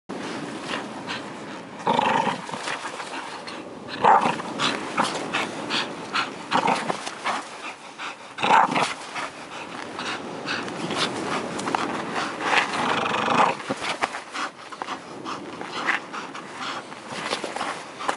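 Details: A bull terrier in Karystos, Greece gives rough, throaty growls and panting noises in irregular bursts, with broadband handling noise and scuffing throughout.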